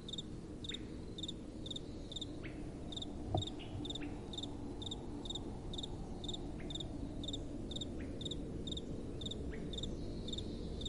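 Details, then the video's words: Night-time crickets calling over gentle wind, a run of bright, rapid chirps repeating steadily about twice a second, a few brief rising streaks in between, and a soft, continuous low wind hush beneath. "Relaxing Night Time Sounds | Crickets & Soft Wind"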